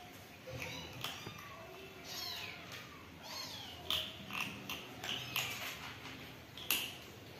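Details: Hungry kittens meowing for food in a house, high thin mews rising and falling, several overlapping calls and short sharp cries through the whole stretch, with faint background noise.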